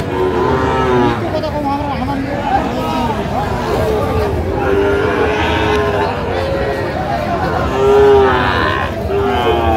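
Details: Sahiwal bull calves at a busy cattle market in Comilla on 19 April 2025, giving repeated low, drawn-out moos with arching tones that overlap one another, over a steady murmur of crowd chatter and bargaining voices.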